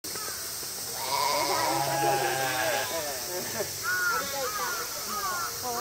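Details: Female mouflon at Tama Zoo in Japan during a summer night event, August 2012, suddenly crying all together; several harmonic bleats, one long wavering cry, then shorter rising calls over a steady background hum and crowd murmur.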